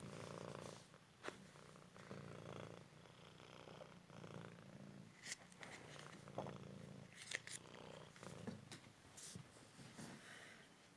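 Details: Indoor purring from a rescued male Cymric cat enjoying a fetch game: continuous deep vibrating purr in breath-length pulses, with occasional sharp knocks and scrapes of toys and movement.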